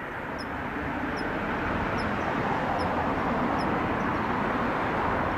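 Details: Kanetataki cricket singing weakly in late autumn as the air cools: six small, sharp, high-pitched ticks evenly repeated about every 0.8 seconds, riding above a continuous murmur of distant outdoor noise.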